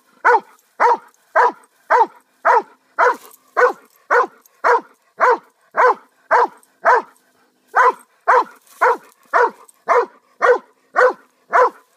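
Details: Persistent barking by a pet dog, around twenty clipped mid-pitched barks in quick, even succession with one brief pause midway, background otherwise silent.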